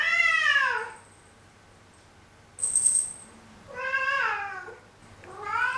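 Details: Black cat complaining with grumbling, discontented meows: a long falling meow, a brief high squeak, then two more descending, harmonic-rich meows in quick succession, recorded indoors.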